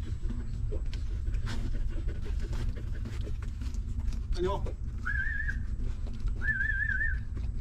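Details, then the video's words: Newborn puppies suckling from a stray mother dog: soft sucking clicks, then a short squeak followed by two thin, high, slightly wavering whines, over a low hum. "Hungry Puppy Sucking Milk"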